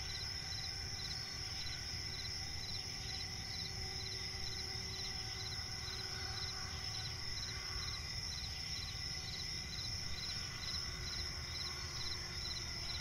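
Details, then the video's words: Crickets in a nighttime swamp forest keep up an unbroken piercing trill with regular clipped chirps layered on top; a deep steady background drone fills the low end. "cricket chirping relaxing sound in night forest"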